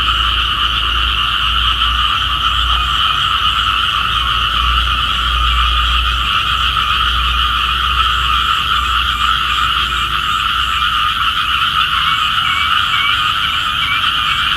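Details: Morning chorus of small frogs, described as calling for rain: continuous rapid trilling croaks layered at a middle and a higher pitch, unchanging in strength, with a low rumble underneath in the first half.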